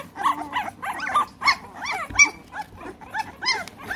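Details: Three-week-old American Bully puppies in the United Kingdom whining and squealing: a rapid string of short, arched, whistled whimpers, rising then falling, overlapping from several pups with barely a pause.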